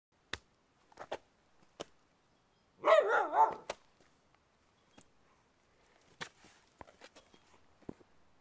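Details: Whippet calling 'roo roo' while wanting to play, indoors: a short wavering yodel-like howl of under a second, rising and falling twice, among scattered clicks and thumps from the room.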